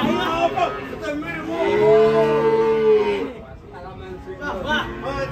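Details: Rampaging cow coming down from a truck and falling into a ditch gives a long, steady, low moo lasting over a second in the middle, surrounded by excited human voices and chatter.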